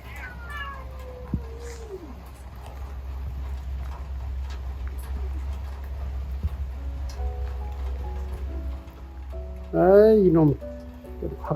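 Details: Yard cat trading meows with another cat before leaving, in a Korean home yard: a falling drawn-out meow early on, a soft short meow, then a loud wavering meow near the end over steady low hum and faint background music.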